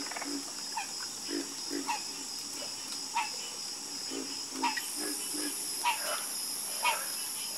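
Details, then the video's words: Frogs in a calling chorus, short throaty croaks popping up irregularly about every half second to second, some louder and closer than others, over a steady high-pitched insect-like drone that brightens partway through. "Calming Sound Of Harmonious Frog Croaking"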